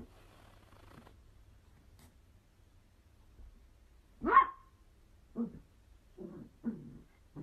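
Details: Playful miniature dachshund indoors: after a quiet stretch comes one sharp, loud bark, followed by three shorter, lower yips and grumbling barks spaced about a second apart.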